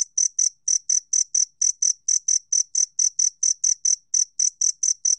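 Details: Korean two-spotted cricket recording from the National Institute of Biological Resources, 2020: a run of bright, piercing chirps in quick succession, some grouped in pairs, roughly four per second, otherwise quiet.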